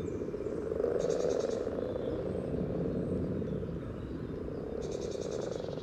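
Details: Common frogs calling for mates at their spawning pond by the yellow trail, Sunnersta, Uppsala; a thick, low grumbling purr of many frogs, swelling briefly near the start, with two short high bird trills.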